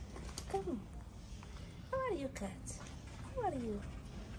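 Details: Tabby cat, a friendly street cat fed daily in Morocco, giving three short descending meows spaced about 1.5 seconds apart while a man talks to it in a coaxing voice.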